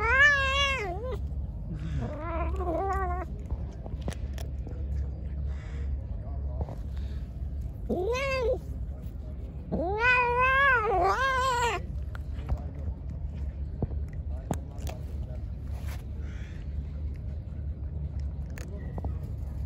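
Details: Hungry, angry pregnant stray cat that attacked after being fed: loud, drawn-out harmonic meows rising then falling, a short one near the start, a stuttering pair, then a long wavering wail, over low steady rumble.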